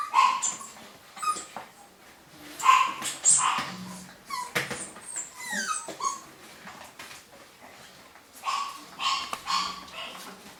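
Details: A new litter of golden Cavapoo puppies in the UK, 2015: scattered squeaky whines and short yelps, some bending downward, arrive in clusters separated by quieter gaps, with faint rustling and a low hum beneath.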